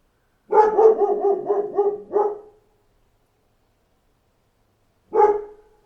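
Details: Rapid string of six or seven dog barks running together over two seconds, followed after a pause by one more single bark; tones harsh and mid-pitched, background otherwise silent.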